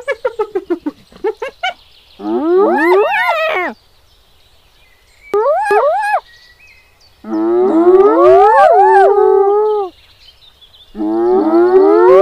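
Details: Wild hyenas in Kruger National Park, South Africa: a burst of rapid staccato pulses, then long wavering harmonic calls that rise and fall, several voices overlapping, with short silent gaps between bouts.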